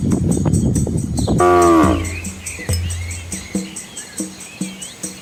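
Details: Red village cows with calves crossing a small flowing river in rural Asia: one short, falling moo after splashy rumbling, followed by quiet, evenly spaced tonal notes.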